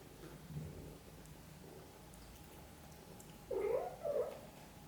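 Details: Mother cat looking after her kittens; faint soft sounds early on, then two short clear chirping mews close together near the end, indoors and otherwise quiet.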